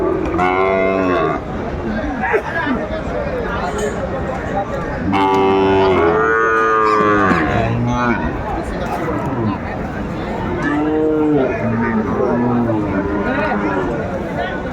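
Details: Sahiwal calves being sold at Aftabganj market in Dinajpur, Bangladesh, late December 2024: scattered short and medium moos, some arched, a longer bellow midway, over constant crowd chatter and bargaining voices.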